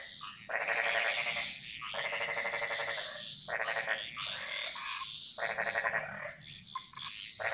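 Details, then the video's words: Bali jungle frogs calling: a series of loud, grating, pulsed croaks, each lasting about a second. Short squeaky notes from other frogs fill the gaps, and high insects buzz steadily behind. "Frog Mantras - Relaxing Sounds Of Bali"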